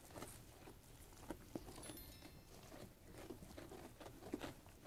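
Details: Feeding sheep munching on food: irregular dry crunches and snaps, several sharper bites standing out near the middle and end, over a soft low hum.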